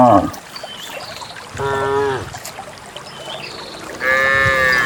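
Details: On a quiet morning, dozens of cows walking out through wet countryside paths toward a green valley to graze give deep, drawn-out moos, two long lowing calls rich in harmonics.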